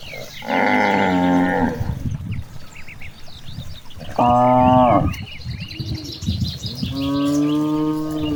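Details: Cows grazing in a large rice field in the countryside give three long, deep, harmonic moos, each lasting about a second.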